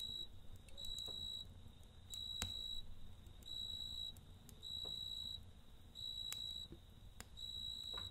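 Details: At night near a crackling campfire, a cricket gives bright, even trills lasting nearly a second each, spaced by brief pauses, with scattered snaps from the fire.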